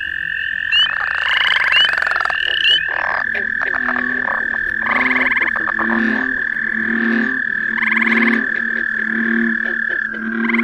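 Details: Spring peepers at The Ridges Sanctuary, Door County, Wisconsin, join in the background as people talk in the field, forming a dense chorus of high, shrill peeps blending into a steady ringing whine.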